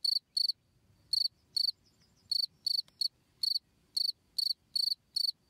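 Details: Cricket chirping for teaching songbirds: about a dozen high, shrill pulsed chirps in uneven spacing, some paired closely, with faint low rustling beneath.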